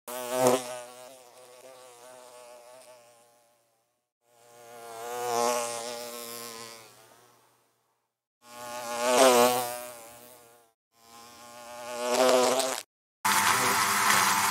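A bee's deep, humming buzz comes and goes in four passes, each rising to a peak and fading away. A short burst of hiss closes the recording.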